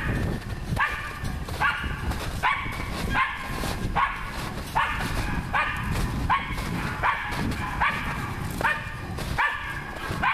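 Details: Steady series of about thirteen ringing barks, roughly one every 0.8 seconds, from the dog Nora while working on wild boar; a low rumble of background noise runs throughout.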